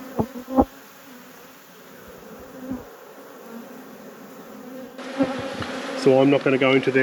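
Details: Honey bee colony hum in an apiary being inspected by a beekeeper; a soft continuous drone with a few sharp knocks early on, then a human voice talking over the buzzing in the final seconds.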